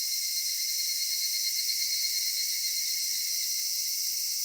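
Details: Evening summer chorus of cicadas in a cedar forest, a steady, piercing high-pitched hiss-like buzz with little variation over a few seconds.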